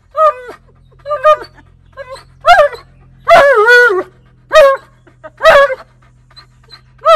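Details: Tonka, an Alaskan Malamute, yelling and demanding at his owner: six loud, drawn-out vocal bursts, wavering and bending up and down in pitch like talking, separated by short pauses; a steady low hum underneath.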